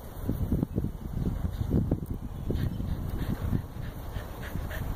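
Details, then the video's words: Corgi that can't get enough fetching, breathing hard between throws: rapid, even huffs roughly several per second, breathy and low, with faint clicks and background rumble throughout. "Corgi playing fetch"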